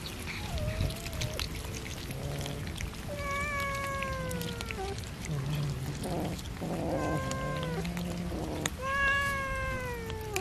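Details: Domestic cats being fed fish, several drawn-out tonal meows with falling ends overlapping one another, steady clatter and low background noise underneath.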